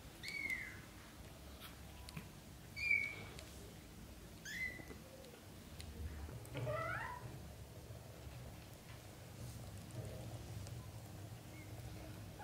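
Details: Newborn-to-month-old British shorthair kittens of Samel and Leo's litter crying in short high falling mews, three clear calls about two seconds apart, then a wavering longer cry and faint later calls, with steady low room hum beneath.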